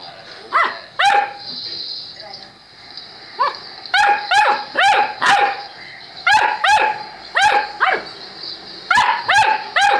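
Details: Loud, insistent barking from a Saint Bernard, sharp yaps coming in pairs and runs about two or three per second across the whole stretch.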